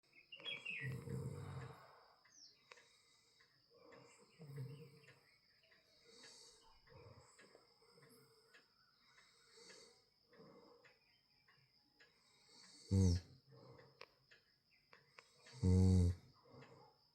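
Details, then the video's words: Domestic cat snoring deeply in its sleep: low, rasping breaths recur about every three seconds, with two louder, throatier snores near the end, over a faint steady high-pitched whine. "My Cat Snoring Like A Champ"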